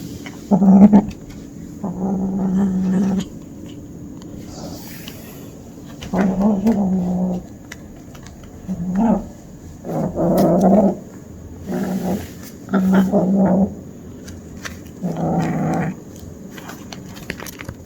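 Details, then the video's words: Kitten growling during hunting play, a surprisingly big sound from a small body: low rumbling growl bursts about a second long, repeated roughly every two seconds with short pauses between. "아기 고양이가 이상한 소리를 내요."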